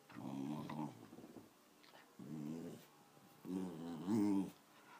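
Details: A wavering, rumbling growl from Patsy, an elderly female Wire Fox Terrier aged 13, comes in three short bouts. The last bout rises in pitch, and faint background rustling is heard between them.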